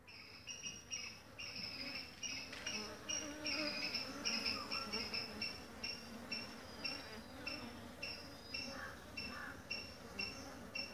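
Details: Honey bee colony, newly requeened and busy building its hive, collecting pollen and nectar at a home-made feeder; steady buzzing hum with overlapping high whining tones from several bees passing close, rising and falling in loudness.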